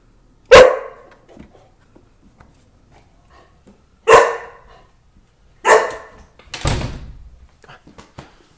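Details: Dog indoors protecting the house, giving three single sharp barks a second or two apart, followed by a door knock or thud.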